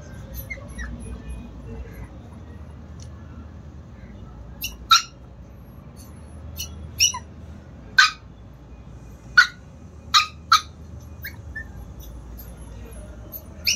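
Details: Chihuahua puppies in Lucknow letting out scattered short, high yaps, single or paired, spaced about a second or more apart against a low steady background hum.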